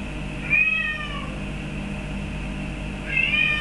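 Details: Pet Birman cat Boris begging for a feather duster: a short falling meow, a pause of over two seconds, then the start of another meow, steady hum underneath.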